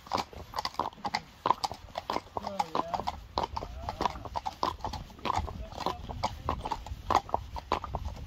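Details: Friesian horse hooves clip-clopping throughout on a Dutch farm where mares are being worked, quick uneven knocks with brief wavering voices and low rumble underneath.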